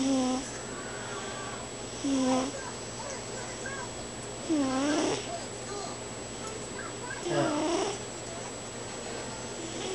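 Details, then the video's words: A pet cat snoring while asleep: a soft, drawn-out tone that rises and falls about every two and a half seconds, four breaths in all, over a steady low hum in a quiet indoor room. "snoring kitty"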